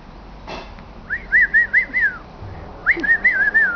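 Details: A 10-week-old female Italian Greyhound puppy, described as very wild, gives thin, tonal, wavering whines in two short bursts, each rising and falling quickly over about a second, with a sharp knock before the first in an otherwise quiet room.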